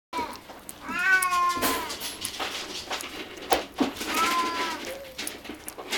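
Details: Munchkin kittens, three littermates born 10 February 2016, practising weaning food indoors at a cattery; two clear harmonic meows, the first drawn out near one second, the second around four seconds, amid clicking, lapping and rustling.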